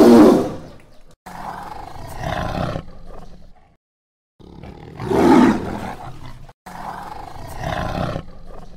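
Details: A tiger in dense jungle gives two deep, gravelly roars, each bursting out loudly and then trailing into rumbling growls.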